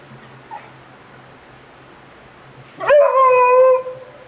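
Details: Beagle pet dog giving a single sustained howl late in the recording. The tone rises sharply, then holds steady and clear for almost a second with strong overtones. Before it there is only a quiet room with a low hum.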